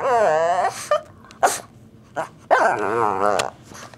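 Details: Pet Shih Tzu dog indoors, wanting to play and making funny noises to get attention; two drawn-out, wavering whining vocalizations with rich harmonics, the first sliding upward then falling, separated by short scuffs and quiet gaps.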